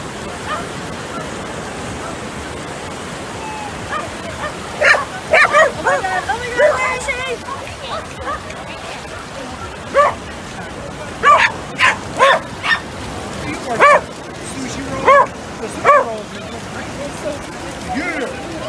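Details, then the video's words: Welsh Corgi puppies playing with a ball, giving short high yappy barks in bursts, clustered around five, eleven to thirteen and fifteen to sixteen seconds, with some whimpering and speech in the background. "Corgi Puppy Barking"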